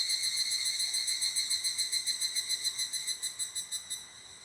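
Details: Evening cicada at an abandoned toilet, its high ringing call pulsing rapidly about four times per second, loud at first, then the beats grow slower and more distinct before the sound fades out near the end.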